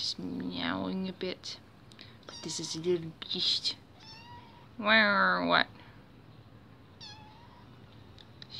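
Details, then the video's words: Two-month-old female kitten named Lokum, a pet in an apartment, meowing to draw attention away from work after waking; several harmonic meows and squeaky calls mixed with a person talking. "Lokum is noisy"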